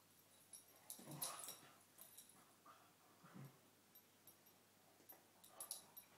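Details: Two cocker spaniels in a morning play fight: brief low throaty growls near the start and again a couple of seconds later, mixed with broadband scuffling and rustling noise, otherwise quiet.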